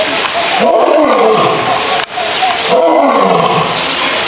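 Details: Two heavy, arching roars from a male zoo lion, each rising then sinking in pitch, amid the hum of visitor talk.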